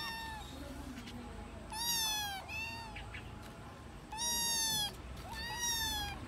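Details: Kittens playing with one another and missing their mother cat mew in clear, high, slightly falling cries, four separate meows spaced one to two seconds apart over low steady background noise.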